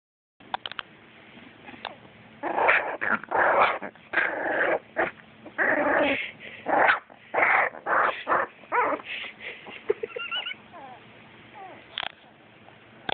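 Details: A puppy growling, recorded on an Android phone; rough, raspy growls in uneven bursts of about a second each, with a few higher whiny yelps near the end.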